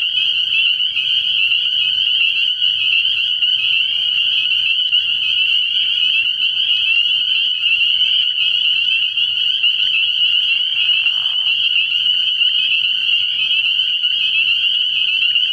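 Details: At a frog pond on an early-year night, a crowd of spring peepers keeps up an unbroken, piercing chorus of high peeps, steady in loudness throughout.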